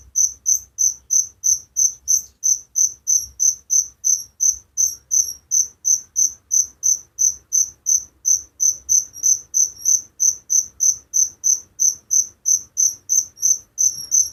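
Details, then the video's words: Cricket calling at night in a rural setting, a continuous run of sharp high-pitched chirps repeating steadily about three times per second, loud and uniform, over a quiet low background. "Suara Jangkrik penghantar tidur || Relaxing sound of crickers"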